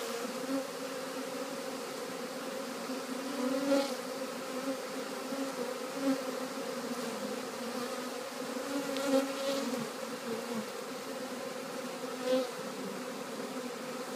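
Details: Honey bees walking into a new hive on 3/7/2013, a steady low hum with a strong drone and its overtone held throughout, swelling slightly now and then, with faint ticks and clicks above.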